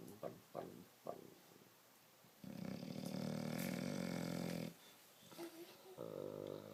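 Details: Bulldog asleep and snoring, opening with a few short sniffs and snuffles, then one loud rasping snore lasting about two seconds, a quieter breath, and the start of another rough snore.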